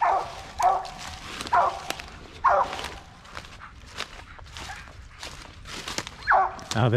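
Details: Original Mountain Cur hunting squirrels in hickory flats near dusk, giving loud barks about once a second with brushy footsteps and crunching leaves between them, and a man's voice at the end.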